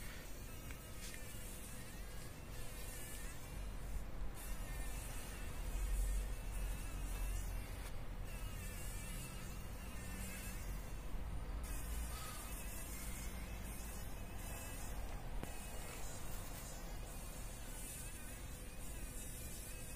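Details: Struggling fly caught in a spider's web in the corner of a workshop, morning light: intermittent buzzing with shifting, wobbling pitch, pausing and restarting across the stretch, over continuous low-frequency background hum.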